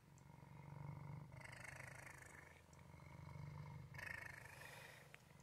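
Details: Male domestic cat purring steadily, a low continuous rumble pulsing with its breathing, swelling and fading in slow cycles with brief louder bursts, no other sounds.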